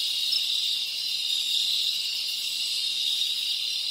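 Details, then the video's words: Tropical crickets from the Dominican Republic in a rainforest ambience: a dense, steady, high shrill trilling that stays constant without pause, with many insects blending into one continuous ringing band. "Tropical Cricket Sounds"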